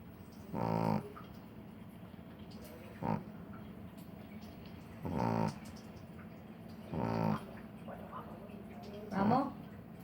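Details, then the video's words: Sleeping puppy snores in short raspy bursts roughly every two seconds, some longer and buzzier, others brief, against a low constant hum. "Perrito roncando"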